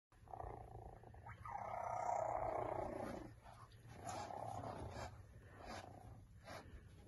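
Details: Three-week-old cheetah cubs from a litter of five, resting on hay, give a steady purring drone with a long loud swell in the middle, then softer, broken bouts.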